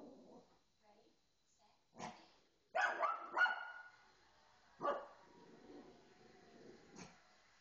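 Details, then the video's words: Female pet dog excitedly barking at a television pet show indoors; a few scattered sharp barks and a short cluster of rapid barks mid-clip, with soft background sound between them. "Dog Barking at TV"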